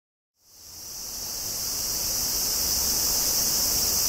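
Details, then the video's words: A higurashi cicada (Tanna japonensis) in Kobe, Japan, on 14 August 2011 gives a shrill, steady buzzing drone that starts suddenly and swells slightly louder. "Cicada: Sound comparison between Zoom H2n and H2: フィールドレコーディング機材"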